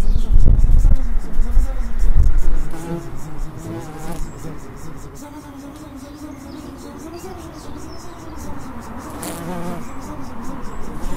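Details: In an Edinburgh suburb, bees make a low droning buzz that rises and falls in pitch for most of the clip, after loud rumbling handling noise in the first two seconds.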